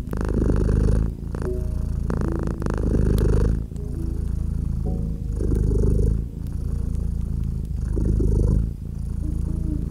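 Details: Cozy cat beside a gently crackling fireplace in winter ambience. Low, steady purring rises and dips in long breaths about every two seconds, with faint held tones and brief fire crackles.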